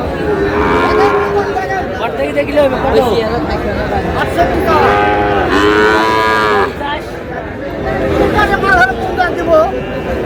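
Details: Young bull calves bought by a farmer in Comilla, Bangladesh, on 14 May, lowing repeatedly. Overlapping harmonic moos, some wavering, some falling, follow one another over ten seconds amid a steady background murmur.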